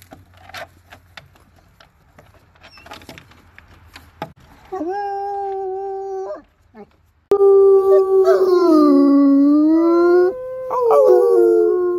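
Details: Howling bloodhounds, said to howl mostly when excited and to communicate; after several seconds of quiet clatter and faint voices, a steady two-second howl is followed by a long wavering howl that rises and falls in pitch.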